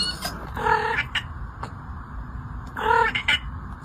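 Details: Domestic cat with an unusual voice said to resemble other animals, giving two short, harmonic, nasal meow-like calls about two seconds apart over a steady background hiss.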